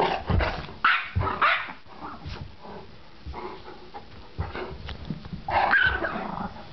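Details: Gretel the Yorkie and Clyde the Great Dane play-fighting over a Nylabone indoors; rough growls and short yaps come in irregular bursts, with a person joining the scuffle and scraping, thumping noises of the tussle.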